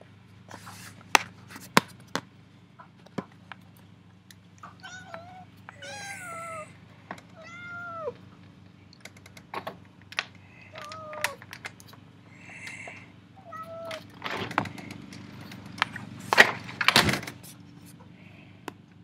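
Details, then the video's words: Cat wanting to go outside, crying in a sequence of short, falling meows roughly every second or two, with scattered clicks, low background hum and bursts of rustling toward the end. "CAT CRIES WANT TO GO OUT"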